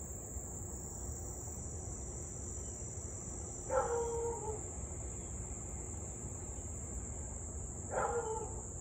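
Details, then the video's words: Distant Siberian Husky near Louisville, evening of 8/3/2021, barking and howling for nearly 30 minutes: two slightly drawn-out barks about four seconds apart over a loud, constant cricket chorus. "Husky to barking and Howling nearly 30 mins straight."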